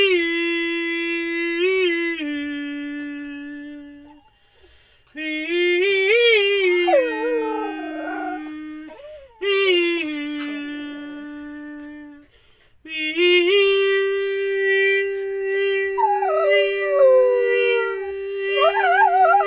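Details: Female dog howling along as her owner sings and hums; steady, sustained human tones are overlaid with wavering, sliding howls that rise and fall, mostly in the middle and toward the end.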